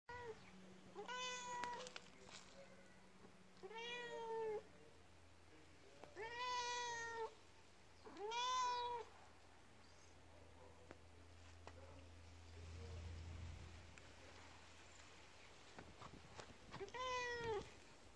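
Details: Domestic cat meowing repeatedly, six clear harmonic meows roughly every two to three seconds, each rising then falling, with a low steady hum underneath in a quiet indoor setting.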